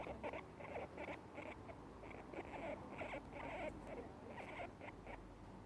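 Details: Two pet guinea pigs eating grass and making their happy sound: a steady run of short, soft, rapid squeaky pulses, clustered and repeated with slight pauses, over faint rustling and chewing.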